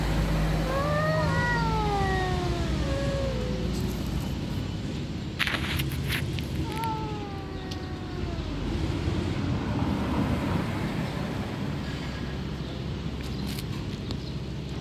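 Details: Alley cats under a car in a territorial dispute: long, wavering, drawn-out meows that rise then slide down, a cluster early on and another a few seconds later, over a constant low engine-like rumble with brief clatters.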